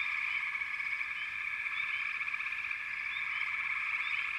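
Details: Steady trilling from many frogs at once, unbroken and even in volume, with a few short sweeping chirps rising over the chorus.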